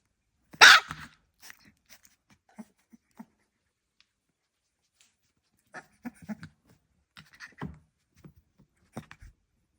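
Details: Staffordshire Bull Terrier puppy making one short loud bark-like burst, then soft scattered grunts and squeaky little noises with pauses between them, indoors and quiet.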